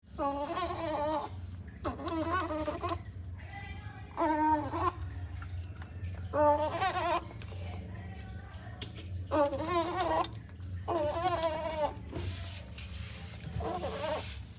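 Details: Baby otter making a loud noise while drinking cat's milk indoors: wavering, harmonic squeals in bursts roughly every one to two seconds, some longer and warbling, over a steady low hum.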